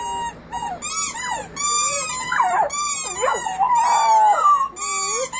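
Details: Puppies in a family group howl in chorus, many voices overlapping in wavering, bending howls and yips that rise and drop in pitch, with short breaks between bursts.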